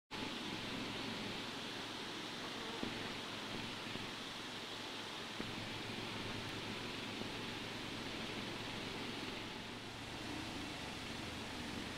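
Steady broadband hiss with faint hum and a few soft clicks, no animal sound.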